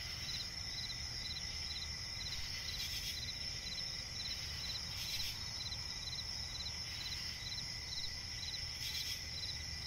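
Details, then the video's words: Crickets chirping at night in a swamp forest: a steady high-pitched trill under rows of short pulsed chirps repeated several times a second, with occasional brief hissing bursts every few seconds and a low background rumble. "cricket chirping relaxing sound in night forest"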